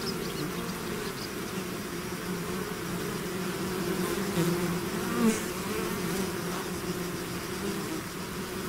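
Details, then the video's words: Many bees swarming out of a hive make a thick, even hum; individual wingbeat tones slide briefly higher and lower around five seconds, over a constant background drone. "bees therapy swarm natural buzzing sound"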